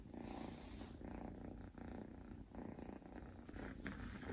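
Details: Mofy, a male Scottish Fold Longhair kitten, snores while asleep: continuous husky breathing in short regular pulses, slightly louder toward the end.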